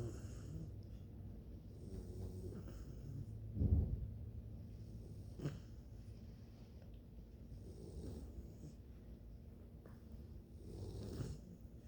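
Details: Bluetick Coonhound puppies sleeping and snoring: soft, low rumbling breaths run throughout, with a louder snort near four seconds and brief breathy swells around five and eleven seconds, all quiet and close.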